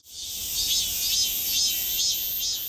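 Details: Robust cicada, the familiar cicada of the Korean children's song "고추 먹고 맴맴": a dense, high, hissing buzz that holds steady throughout, with faint rhythmic swells about twice a second and no other sounds.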